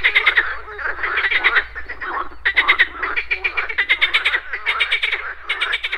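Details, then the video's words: Frogs croaking at a pond in the morning, with insects buzzing: dense rapid pulsed croaks in bursts of about a second, overlapping callers forming a continuous chorus with short gaps. "MORNING FROG POND - Nature of Relaxation, Nature Sounds, Frogs Croaking"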